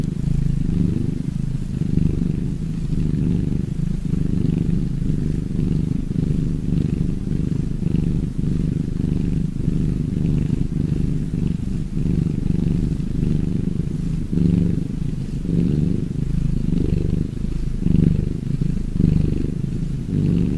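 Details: Cat purr, deep and steady, a dense rumbling drone with regular breath cycles swelling and easing about every second and a half, even in loudness throughout.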